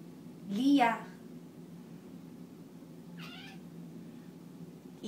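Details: Pet cat singing indoors; a long wavering, drawn-out meow near the start, then a shorter, fainter meow at about three seconds, in a quiet room.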